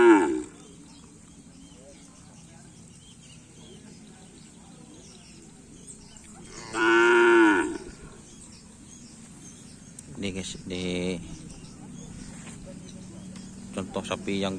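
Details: Cattle at Karapan Sapi bull race training at the Asemanis field, held as a get-together; a brief moo at the start, then a drawn-out, slightly arching moo around midway, followed by scattered voices and shouts.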